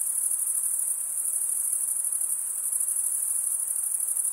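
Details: Male crickets chirping by wing stridulation. A dense, shrill trill sits high and steady, with a faint rapid throb. No breaks and no other noises occur.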